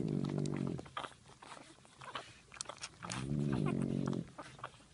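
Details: A French Bulldog mother sleeps while her puppies feed. She gives deep, buzzy groaning breaths, one at the start and a longer one after three seconds, with light suckling clicks in between.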